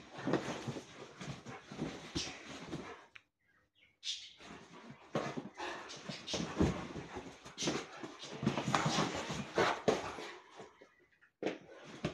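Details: Indoor play wrestling between Rhodesian Ridgebacks kept inside by heavy rain; dense rasping growls and snorts in rapid irregular bursts, broken by brief pauses, with scuffling noise throughout.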